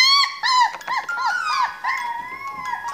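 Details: Male Siberian Husky puppy, grey-and-white with blue eyes, born 22 January 2019 at a kennel, described as very energetic and active; drawn-out whining howls with wavering, arching tones, repeated in several rising and falling phrases indoors.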